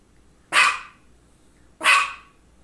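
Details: Two loud, abrupt barks a little over a second apart from Misha, a female pet dog recorded indoors around two focal seizures.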